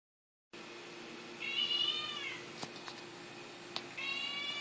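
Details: A vocal black Siamese cat gives a long, nasal meow that bends slowly downward and trails off, then a few clicks as a person urges it to talk, and a second meow begins.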